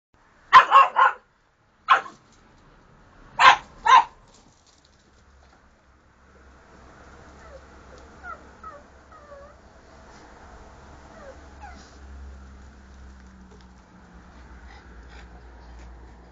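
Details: Dogs staying at a boarding kennel in Jerusalem, Israel, while their owners are on holiday: four sharp barks in the first four seconds, then a quiet stretch with faint low hum and scattered soft background sounds.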